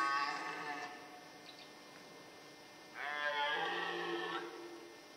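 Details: Rutting red deer in the Forêt de Chaux near Dole, Jura, France, amid fights between males and hinds nearby: two hoarse, throaty roars rich in harmonics, a short one opening the recording and a longer one after a two-second pause.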